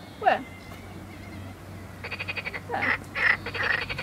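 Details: A very small wild frog calling by a river in the Midi-Pyrénées, southern France, its throat inflating; possibly a warning or mating call. Short bird-like chirps come in quick pulsed bursts, with a person speaking briefly at the start.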